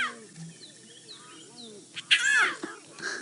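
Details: Lion cubs of the Nkuhuma pride at a buffalo kill in August, Djuma Game Reserve area, give a short, high, arching mew while calling their mother, over a man talking quietly and scattered bird calls including pied crows.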